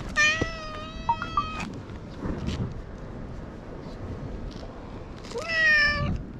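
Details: Free-roaming island cat in Japan, outdoors: two drawn-out, clear, tonal meows, one at the start and one near the end, each level then slightly bending, with a steady outdoor hiss and some rustling between.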